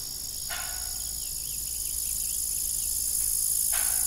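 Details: High, unbroken insect shrilling from evening crickets around an abandoned family farm windmill, with two sharp creaks near the start and end and faint softer chirps between.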